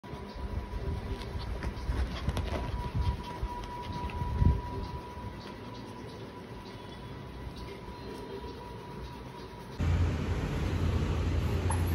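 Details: A low rumbling background with a faint steady whine and a thump near four seconds, then a sudden louder shift in the noise, with no animal voice.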